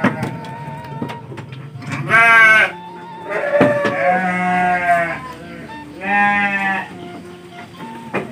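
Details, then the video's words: Penned sheep in Indonesia, late afternoon on the first fasting day; three separate loud, tremulous bleats, each lasting half a second to a second and a half, spaced about two seconds apart, with light background noise. "Ngabuburit Di Kandang Domba"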